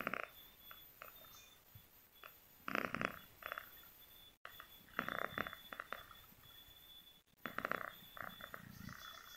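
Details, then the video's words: Domestic cat asleep and snoring, giving rough, throaty breaths in short bursts roughly every second or two, with soft gaps between them and a faint constant electronic whine throughout. "si cantik lagi ngorok"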